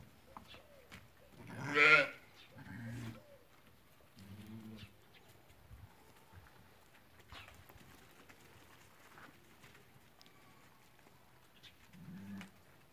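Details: Flock of ewes that have lambed, for sale at market in Fquih Ben Salah, Morocco: one clear nasal bleat near the start stands out, followed by fainter scattered bleats over low crowd and handling noise.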